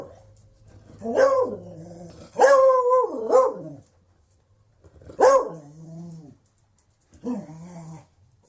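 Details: Beagle giving four drawn-out, baying barks, each wavering and falling in pitch and lasting up to a second, with short silent pauses between them.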